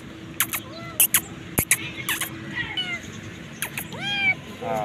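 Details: Hungry street kitten being called and fed, giving several arched mewing cries between sharp clicks and a man's voice, with traffic noise behind.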